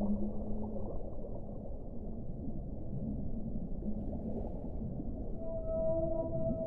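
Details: Whale song: low, drawn-out tonal moans over a steady underwater rumble, with a brief hum at the start and a clearer cluster of sustained, stacked tones in the final second.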